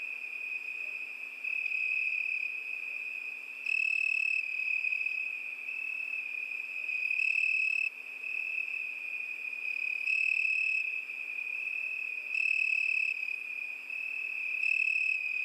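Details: Crickets sing through a summer night in a constant high, buzzing trill. Five brief louder pulses recur every two to three seconds over the steady drone.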